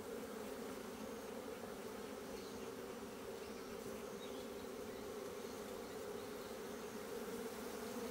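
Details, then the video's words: Inside an opened Asian honey bee hive, with comb being dug out on 26 September 2023: an even, dense buzzing drone, unbroken and constant in loudness. "밥장을 파내고 있는 동양종 꿀벌통"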